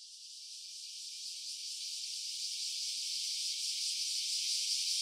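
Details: Cicada calling in a stereo recording made on an OPPO Reno A phone: a steady, hissing high buzz with faint rapid pulsing, swelling gradually louder over five seconds, with no other sounds.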